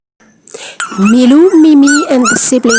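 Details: Six-week-old Jack Russell Terrier puppies, just weaned onto solid food; a loud, high, wavering whine that rises and falls almost without pause, broken by short gaps, ending in sharper yelping notes.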